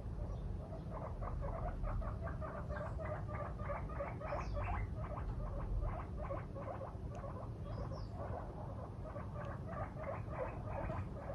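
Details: Pet guinea pig, female, reacting one morning to her owner sleeping in, having left her cage to stare; continuous bursts of short, rapid squeaks pulse several times a second throughout, with a low indoor hum beneath.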